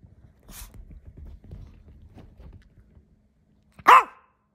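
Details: Teacup Yorkshire Terrier indoors, struggling to get his toy up onto the couch; a single short sharp bark near the end follows quiet shuffling and soft human speech.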